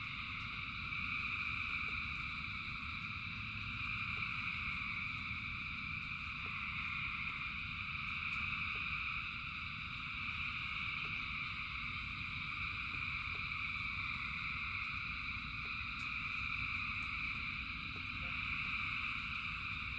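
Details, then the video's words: A huge frog chorus during rain, thousands of voices blending into an even, shimmering high buzz that swells slightly and fades in places, over a broad wash of falling rain and faint drip ticks. "Frogs in Rain 2 Hours of Frogs, Thousands of Frogs Singing"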